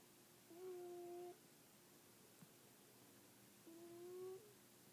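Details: Two drawn-out, nasal whistling snores from a kitty, each close to a second long and steady in pitch, spaced about three seconds apart against faint room hum.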